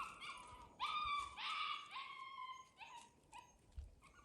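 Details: Seven-week-old fox red Labrador Retriever puppies on their first time outside give high whining squeals, a long wavering whimper and several shorter falling yelps over a few seconds.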